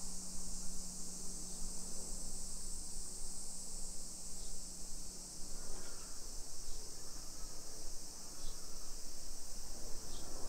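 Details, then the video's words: Summer cicadas in a modern hillside residential neighborhood of Nisshin, near Nagoya, Aichi Prefecture, Japan, at 1 PM on 28 July 2021. A steady, high, hissing buzz runs without a break under the low rumble of a walking camera. "Summer Cicadas Sounds"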